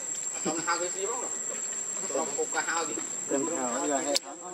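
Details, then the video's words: Hungry baby monkey Leo cries to its mother for milk: several wavering, whiny calls in bursts of about a second, some trembling and quavering, over constant high-pitched insect buzzing, ending with a sharp click. "Rainbow Very Angry Need Milk Much I Smart Cute Lovely Baby Monkey"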